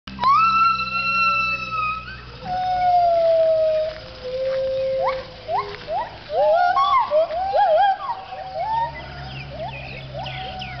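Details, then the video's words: Gibbons at a Thai wildlife refuge centre for rescued animals, singing the dawn chorus at sunrise around 6am: long pure whoops sliding downward, then a rapid series of rising, looping notes building into a chorus. "The dawn chorus of the gibbons"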